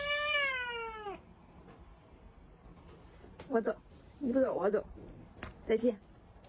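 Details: Pet cat nipping with love bites gives a long, clear, downward-sliding meow. It is followed by a person speaking Mandarin in short bursts, telling the cat to stop biting, in a small indoor room.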